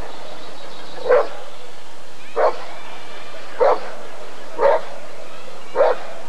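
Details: A Rottweiler at the 1994 ADRK Körung breed survey gives five evenly spaced, full-throated barks about a second apart, with a quiet crowd hum underneath.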